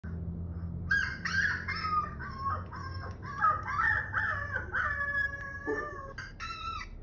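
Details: Two-month-old Siberian husky puppy reacting to other husky puppies howling, heard for the first time; several drawn-out, wavering howls with bright harmonics, overlapping voices rising and falling, over a low background hum.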